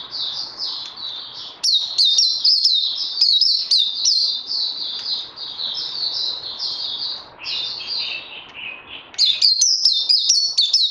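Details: Puteh (white-eye) under training after Covid-19, 18 May 2020. A long, nearly unbroken high warble of quick sliding notes, dipping slightly lower near the end before a final bright, rapid flourish.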